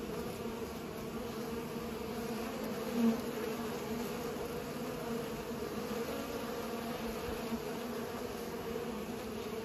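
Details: Continuous humming of bees at work pollinating, a low layered drone, steady with one brief louder swell near the third second.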